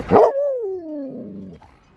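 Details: Excited Alaskan Malamute, a female, watching people go fishing and hoping for a maggot treat; a short sharp yip, then a long falling whine gliding down over about a second, with a woman's voice nearby.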